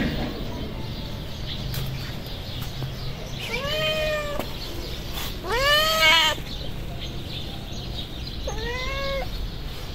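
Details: Feral street cats, a hungry tabby and a white cat with blue and yellow eyes, approaching and calling: three loud arched meows, the middle one strongest, against continuous low street noise.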